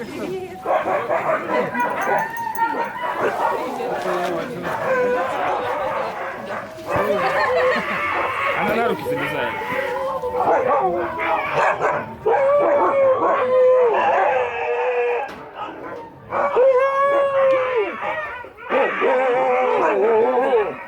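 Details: Huskies vocalizing in long, wavering, tonal howls and yowls that rise and fall in pitch, several voices overlapping in bursts separated by brief pauses, with a dense chattering, talk-like quality throughout.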